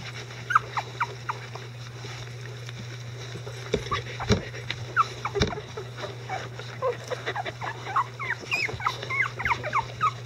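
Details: A litter of Icelandic Sheepdog puppies, eleven days old, with mother Gaela and both grandparents nearby, giving scattered thin squeals that thicken toward the end into rapid overlapping whines and squeaks, a constant low hum beneath.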